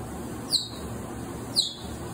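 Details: Cheetah cubs, a litter of six born in March, heard giving high chirping calls: two sharp, downward-sweeping chirps about a second apart over a steady low background hum.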